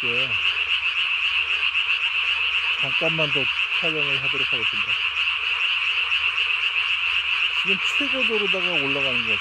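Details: Japanese tree frog calling after dark in May 2020, throat sac blown up as big as its body; repeated rapid croak clusters, several with falling pitch, over a continuous high chorus.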